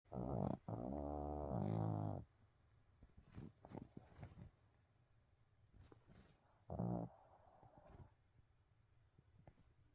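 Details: Abel, a pet dog, snoring in its sleep indoors: a long low rasping snore of about one and a half seconds with stacked harmonic bands, a short snort before it, and another brief snore near the end.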